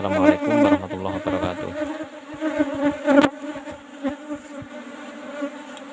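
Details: Asian honey bees (Apis cerana) kept in an old-style hive box, disturbed during a honey harvest: a steady, droning hum with stacked harmonics, swelling in the opening seconds over knocks and handling thumps, then settling into a continuous buzz.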